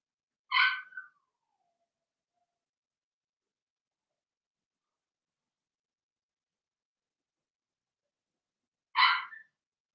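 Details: Blenheim Cavalier King Charles Spaniel puppies from a six-pup litter (two females, four males) born March 7–8, in a home puppy pen during potty training; two short, bright harmonic yelps about eight seconds apart, otherwise quiet.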